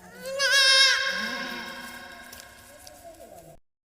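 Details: Newborn goat kid, two hours old, giving one long quavering bleat that starts loud and high with wavering harmonics, then trails off into a lower, drawn-out fading cry lasting about three seconds.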